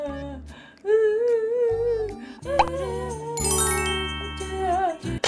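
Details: Background music with a hummed, wavering vocal melody over steady low bass notes, later joined by bright bell-like chime tones; no animal sounds are heard.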